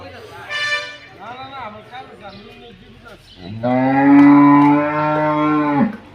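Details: Pregnant Holstein Friesian cow at Manikganj Sadar. After a few seconds of people chatting, it lets out a long, loud, droning moo lasting over two seconds, holding an even pitch before cutting off.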